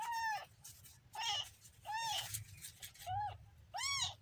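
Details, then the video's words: Kitten meowing five times in about four seconds, each call a short rising-then-falling cry with bright overtones, separated by brief pauses. "kitten funny sound"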